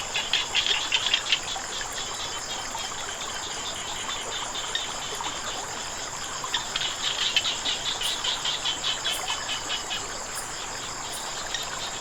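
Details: Frogs calling near flowing water: bursts of rapid, high, clicking pulses come in short runs near the start and again midway, over a steady shrill high-pitched whine and a constant rushing hiss of water.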